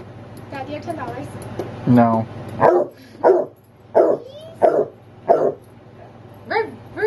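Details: Pet basset hound barking for its nightly walk; about six loud harmonic barks roughly every 0.7 seconds, with a woman speaking to the dog before the barks begin.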